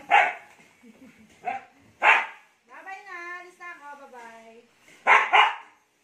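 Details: Siberian Husky named Ice, hyper after a bath, in the Philippines: loud broadband barks at the start and end frame a wavering howl-like vocalisation with stacked harmonics, falling gently, lasting nearly two seconds.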